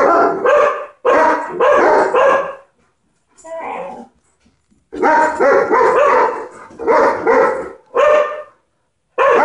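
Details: Barking at ladybugs, the dog Loki fires off clusters of two or three sharp barks, separated by short gaps and one softer, quieter bark in between.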